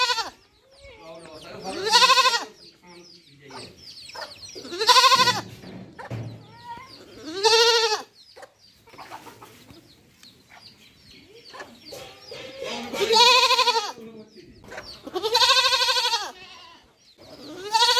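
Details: Baby goat bleating: loud, wavering, nasal baa calls in repeated bursts about every two to three seconds, six strong bleats with quieter sounds between them.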